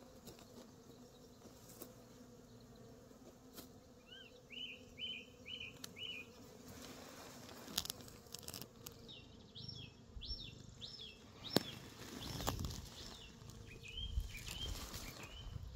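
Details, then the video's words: Steady low bee hum fills an orchard in New Zealand where Reg the cat sits among the bees, with bursts of short repeated bird chirps overhead and scattered rustling clicks. "Reg hanging out with bees"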